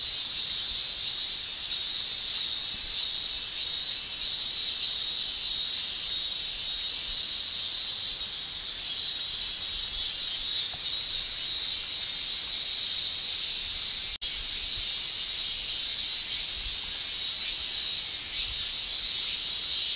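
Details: Male cicadas in Japan during summer produce tymbal song: a steady, piercing high drone with slight swells, briefly cut by a click near the middle, otherwise uninterrupted.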